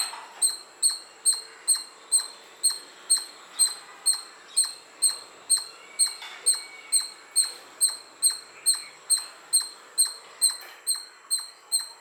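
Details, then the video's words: Squirrel chirping: a rapid series of sharp, high, clicking chips repeated steadily about twice a second for twelve seconds, each a brief high-pitched note, with a quiet background. "squirrel chirping sound"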